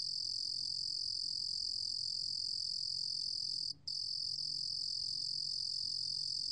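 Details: Continuous shrill trill of a Lulugom cricket (루루곰귀뚜라미), recorded in 2020 by Korea's National Institute of Biological Resources, with one very brief break midway before the buzzing resumes at the same pitch.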